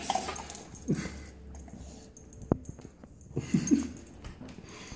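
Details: Under a table, a puppy trying to get something gives soft snorting sniffs and low, brief whining whimpers, with a single sharp knock in the middle.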